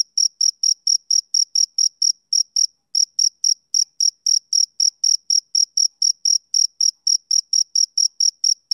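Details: Rhythmic chirping of a male cricket: even, shrill pulses repeated several times a second, broken by one brief pause near the three-second mark, then resuming at the same pace against silence.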